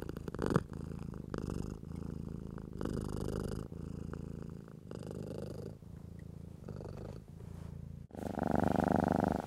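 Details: House cat purring contentedly while being stroked, a low rumbling purr broken into breath-length bursts of roughly one to one and a half seconds, with short pauses and a louder, brighter burst at the end.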